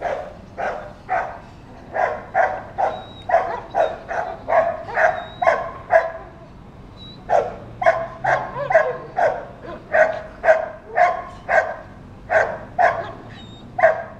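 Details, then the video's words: Dog barking the whole day when children or strange dogs pass, here a long steady series of sharp barks roughly two per second, with one brief pause midway and a faint thin whistle-like tone at times. "Собака лает целый день!"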